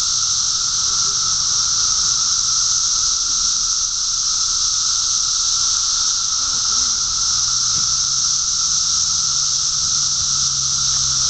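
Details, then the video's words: Mass emergence of 17-year periodical cicadas in Park Ridge, Illinois: a constant shrill, hissing drone from thousands of insects persists throughout, with faint human voices and a low passing rumble in the background. "Cicada Invasion"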